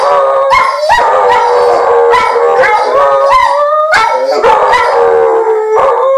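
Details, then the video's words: Dogs howling for the Hokies after a Virginia Tech score, a dense chorus of loud, tonal howls that slide upward then level off, several voices overlapping continuously throughout. "Dogs be howling for the Hokies!!"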